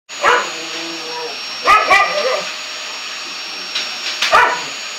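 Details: A bulldog that hates the vacuum cleaner barks and growls in short harmonic bursts, one at the start, a pair near the middle and another near the end, over the steady hum of a running vacuum cleaner.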